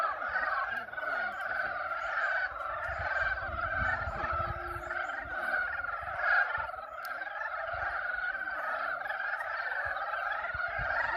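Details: Many frogs in a mating chorus at Yulgok Arboretum's pond in spring, their overlapping rattling croaks merging into a continuous pulsing drone, with faint low background rumble throughout.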